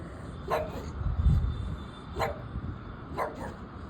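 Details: Labrador Retriever dog in Ahmedabad: three short, sharp barks spaced roughly a second or more apart, over a low rumbling background, with a woman speaking Gujarati just before and after.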